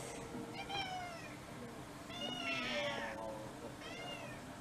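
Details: Mixed-breed house cats on Cat Day, February 2023, around a special evening meal; three clear harmonic meows, each sliding downward, roughly one and a half seconds apart, with steady low household hum beneath.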